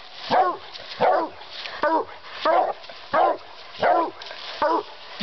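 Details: Hunting Redbone Coonhound, Hill Billy Jack, working raccoons on a crop farm on 14 June 2012 with a Walker hound: loud, rough barks repeated roughly every 0.7 seconds in a steady run, with brief human praise.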